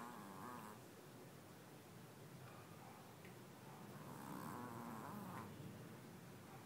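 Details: Sleeping small dog with a loud snore, rough vibrating breaths rising around the half-second mark and again near four seconds, with soft breathy rumble between them.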